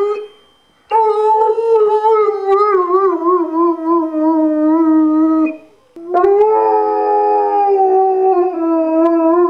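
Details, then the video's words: Two sustained howls from Liam, a singing Irish Wolfhound. The first runs about five seconds with a wavering, slightly falling tone; after a brief pause a second, steadier howl follows for over three seconds. "Liam the singing Irish Wolfhound"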